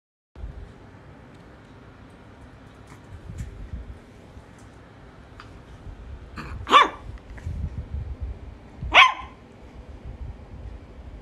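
Two bright, yappy puppy barks from a Shih Tzu stand out, the second following about two seconds after the first. Softer sounds and faint background noise fill the rest of the recording.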